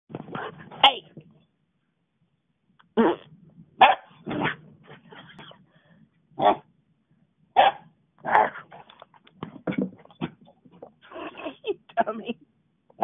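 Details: Domestic dog reacting to farting noises, giving short sharp barks and gruff growly yelps in bursts separated by pauses, some in quick pairs, with quieter grumbles between them.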